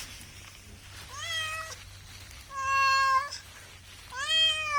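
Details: Cat meowing three times, each meow clear and harmonic, the later ones longer and louder, spaced about a second or more apart with quiet hum between.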